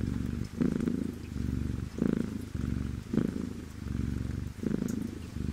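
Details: Cat purr, low and vibrating, rising and falling in roughly one-second waves with brief louder surges, a soft hiss running underneath throughout.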